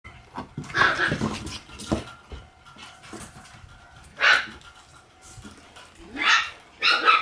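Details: Black Shiba Inu puppy, a female born on 6 August, giving short, sharp yips near four, six and seven seconds, with rustling and handling noises in between.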